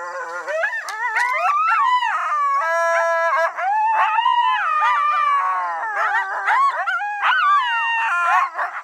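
Eastern coyotes howl and yip together in a wavering, high-pitched chorus.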